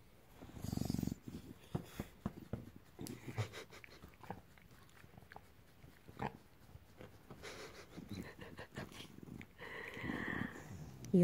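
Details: Bulldog getting a belly rub gives a long run of low, pulsing grunts and snorty grumbles, with a short wheezy rise near the end.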